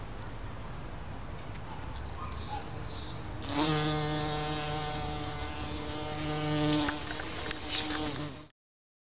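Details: Bumblebee visiting Solomon's seal in a small garden on May 29, 2014; after quiet seconds with faint high chirps, a loud, steady, droning buzz rich in overtones starts suddenly and holds about five seconds before cutting off.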